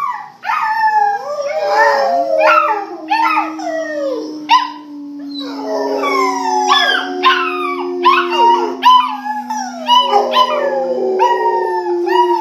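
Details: Several pet Rottweilers howl together, three dogs in all. Long drawn low notes run under repeated wavering, sliding higher cries that rise and fall in quick overlapping bursts, with a brief pause midway.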